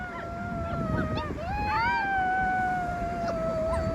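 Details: One wolf pup among rescued wild youngsters holds a long steady howl while a second voice rises and swoops over it, against a constant noisy hiss.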